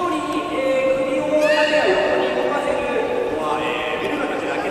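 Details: Captive beluga in a public training show at Port of Nagoya Public Aquarium on 18 July 2016, afternoon session: overlapping nasal whistles and a quick upward squeal, under steady talking and the echo of a large indoor hall.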